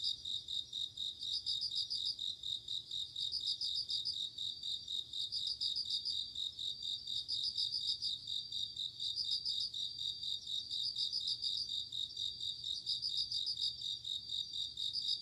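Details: High tinkling pulsed bursts of a bell cricket repeat regularly through an autumn night, each about a second long, backed by an unbroken high hum of other insects.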